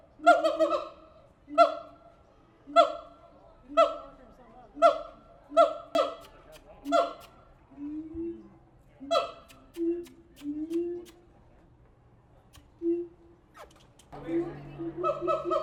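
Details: Several siamang apes at the Tulsa Zoo give loud hooting barks about once a second, then softer low falling notes, ending with a harsh burst of stacked calls.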